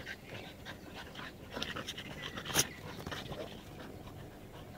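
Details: Dog, one of an American Bulldog, French Bulldog and Bull Terrier, panting in quick breathy bursts, with a brief sharp noise midway, faint background hiss and a little human speech.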